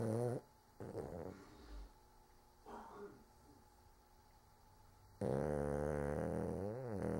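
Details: A sleeping pet dog snores in low, rumbling breaths, with long quiet gaps between them; toward the end the snoring grows loud and continuous, with throaty harmonics that rise and fall.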